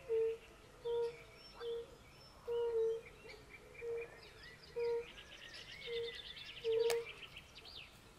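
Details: Several European fire-bellied toads hoot softly at a forest pond alongside pool frogs, brief pure tones spaced about a second apart, while birds twitter and a high trill rises in the background.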